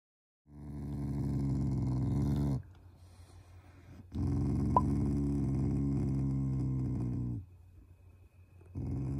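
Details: Shiba Inu kept as a family pet growls at its owners as a show of affection, not anger; three long, low, throaty rumbles of two to three seconds each, separated by short quiet breaths.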